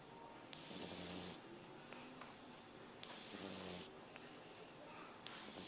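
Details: A French Bulldog snores while sleeping, with long breathy rasps rising and falling with each breath; recorded August 7, 2010.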